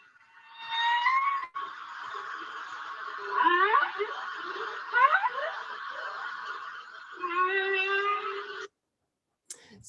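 Humpback whale song: harmonic wails, sweeping upward cries and a low steady moan, one after another.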